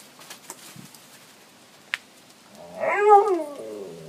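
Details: A dog indoors, among three playful dogs getting excited before a walk, lets out a rising then falling yowling howl after a few faint taps and a click.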